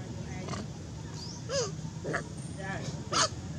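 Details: Extremely hungry newborn baby monkey named Madea begging its mother for milk; a few short, arching, whiny cries with bright harmonics come in separate bursts about half a second apart, over steady low background hum.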